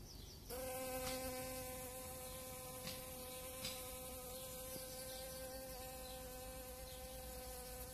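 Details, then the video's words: A honeybee foraging on dandelions in April 2017 begins buzzing half a second in: a constant low hum that holds steady to the end, broken by a few faint ticks. "Honeybee visiting dandelions"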